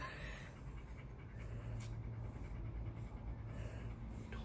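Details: Welsh Corgi panting while being brushed as it sheds its summer undercoat; steady breathy panting over a low rumbling background.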